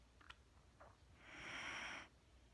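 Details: Mattie, a sleeping Wheaten Terrier, breathing indoors: two faint ticks and a brief sniff, then a longer soft hissing breath of close to a second, steady and airy, in a quiet room.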